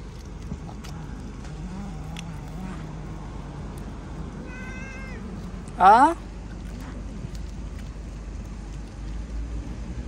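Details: A house cat lets out one sharp, loud meow that sweeps quickly upward, breaking a stretch of quiet room noise with faint murmuring voices and a soft, thin tone shortly before it.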